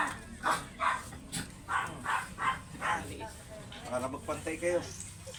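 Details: Teacup import-line Pomeranian at a kennel house during stud service, giving a quick run of short, sharp, high yapping barks about every half second, with a low steady hum and faint voices underneath.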